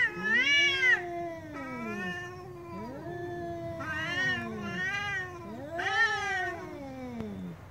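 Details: Angry cat yowling in about four long calls, each rising then sliding steadily down, every second or two, with loud bright peaks and quieter overlapping moans.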